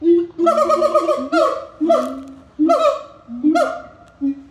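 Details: Siamang calling in a loud series of bursts: low hooting booms alternating with rising, brassy barking notes, each phrase roughly a second apart, rich in harmonics and strongly repeated.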